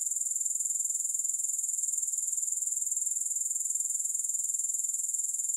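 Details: A steady, high-pitched shimmer from grasshoppers, pulsing evenly about four times a second, with no gaps, music or other sounds over five seconds.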